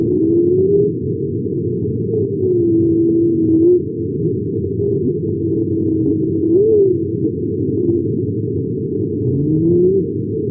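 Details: A humpback whale sings in low, clear, voice-like tones that slide slowly up and down, with a quick upward whoop midway and rising notes at the end, over a muffled underwater rumble. Its range runs from subsonic to about 450 Hz.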